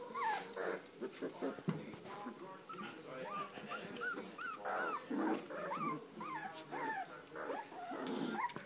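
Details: Three-week-old standard poodle puppies from a litter of Star and Levi, several pups squeaking together in rapid, overlapping high whines that arch up and fall, nearly continuous over the whole stretch, with a person's voice faintly underneath.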